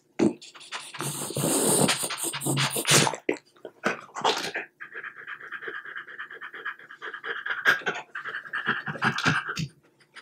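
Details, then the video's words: French Bulldog enjoying chicken bites of plain boiled breast, its favourite treat. Loud crunchy chewing and licking open the recording, followed by sustained quick rhythmic panting with brief pauses and a few smacks. "Dog ASMR: French Bulldog Eating Chicken Bites"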